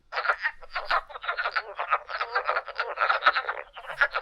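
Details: Wood frogs in Pennsylvania call in a dense chorus of short, hoarse, duck-like clucks; they are among the first frogs heard in spring, from early March at Middle Creek.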